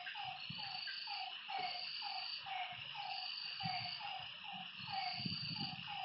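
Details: Night frog chorus by a lake: repeated short croaks, roughly two per second and overlapping between callers, set against a constant shrill insect hum and occasional low knocks and rumbles.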